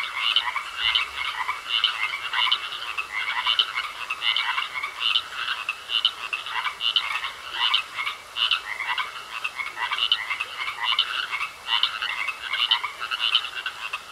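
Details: A pond full of frogs croaking in a long steady chorus, harsh buzzy pulses repeating about every second with little variation, backed by a constant thin whine.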